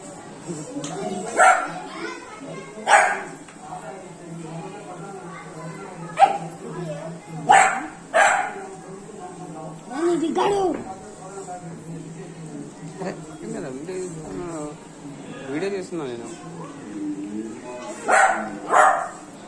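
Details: Three-month-old Beagle puppy barking while playing with water; scattered single and paired short barks spread across the recording, mixed with human voices and faint background sound.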